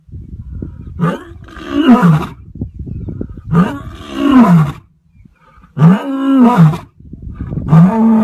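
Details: Four powerful lion roars in quick succession, each a rough rising-then-falling groan rich in harmonics, over a rumbling low background.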